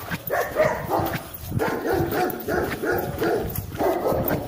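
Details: German Shepherd barking during a guard-dog test, rapid repeated barks about every half second in a dense, rough series, with some background noise.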